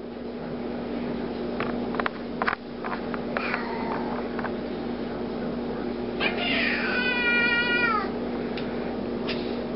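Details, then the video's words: Ming, a big 15-pound black house cat who hates hands being used at him, lets out one loud, drawn-out, strongly harmonic meow that bends downward at its end, after scattered clicks and handling noises, over a steady low hum. "THE ANGRY TALKING CAT"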